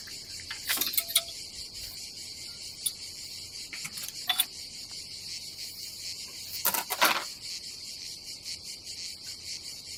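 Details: Cicadas calling on a summer day at a seaside campsite on the Adriatic coast of Croatia: a steady high buzzing drone runs throughout, with a few sharp clicks and knocks from camp activity.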